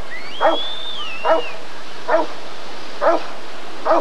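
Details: Rottweiler barking at the 1994 ADRK Körung breed survey: five deep, short barks spaced just under a second apart, with a thin whistled tone rising and falling over the first bark or two.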